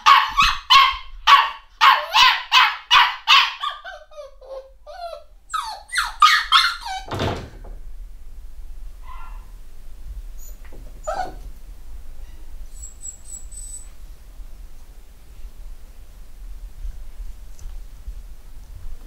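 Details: Home-bred litter of eight-week-old black Cockapoo puppies at a UK breeder: a rapid run of high, harmonic yapping barks about twice a second for three seconds, a second shorter burst, then a thud and near quiet with faint squeaks.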